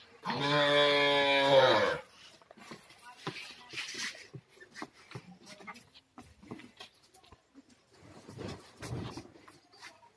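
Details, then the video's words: Kangayam heifer, reddish-brown, at the two-tooth stage, gives one long, deep, droning moo lasting about two seconds, followed by scattered clatter, faint voices and background noise. "காங்கேயம் செவலை பெருங்கூட்டு 2 பல் கிடாரி"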